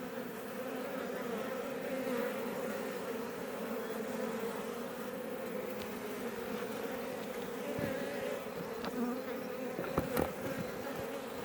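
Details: Many Iberian honey bees buzzing around a Langstroth beebox hive near Roquetes, south Tarragona, Catalonia, Spain, close to Els Ports National Park: continuous low droning hum, individual bees passing closer, a few faint clicks near the end.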